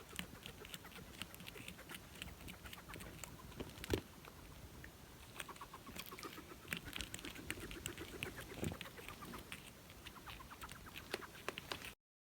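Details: Hedgehog snoring: a quiet, steady run of faint crackling clicks broken by brief squeaky, cluck-like snuffles, with a louder snort near four seconds and a hushed indoor background.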